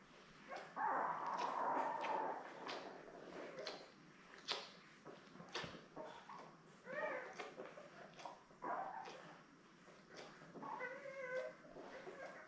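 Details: Newborn Labrador Retriever puppies, part of a litter of seven born May 24, 2021, to mother Belle, on a live puppy cam: short harmonic whimpers and squeals in separate bursts, with scattered clicks and rustling between them.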